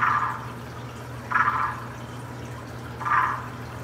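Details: A waxy monkey tree frog gives its mating call, short, harsh clucking notes about a second and a half apart.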